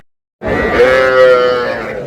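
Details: Sahiwal cattle at a busy livestock market in Chattogram, Bangladesh, where bull calves of about five to six months are traded on a Friday in Ramadan; one long, steady, harmonic-rich moo holds level for over a second after a brief silence.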